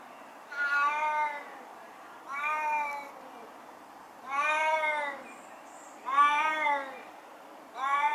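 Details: A 16-year-old deaf and blind male Siamese cat in his garden gives a series of loud, drawn-out, nasal meows, about one every two seconds.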